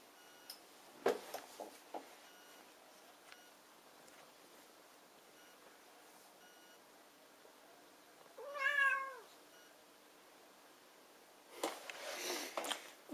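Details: Burmilla cat giving a single clear, rising-then-falling meow lasting under a second in a quiet indoor setting, with scattered handling clicks before it and rustling noise afterwards.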